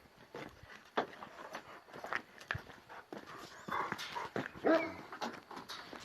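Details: Purebred wolf-hunting panter Kangal dogs react to a wolf, advancing fearlessly. Rough, breathy bursts come in an uneven series, with a few brief higher tones and a man talking nearby.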